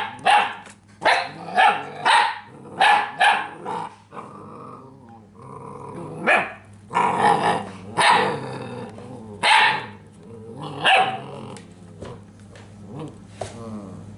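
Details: Belgian Malinois puppies from Natick, Massachusetts bark in a rapid burst of about six sharp yaps, pause with softer whines and growls, then resume with scattered louder barks over a faint steady hum.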